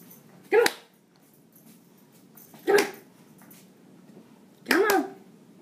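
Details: Chihuahua playing fetch gives three sharp, high yipping barks, each short and bright, spaced about two seconds apart, with quiet room background between them.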